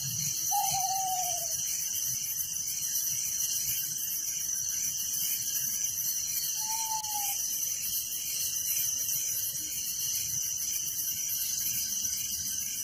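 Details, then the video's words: Village crickets at night keep up an unbroken, thin, high-pitched trill with a rhythmic throb; two short sliding whistles stand out briefly, one near the start and one midway. "Relaxing Night Crickets Sound in Village"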